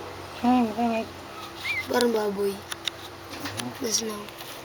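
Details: Hungry newborn Shih Tzu Pomeranian cross puppies nursing for milk: a run of brief high squeaky whines, two close together, then a longer wavering cry and a final short squeal, with soft clicks and quiet indoor background.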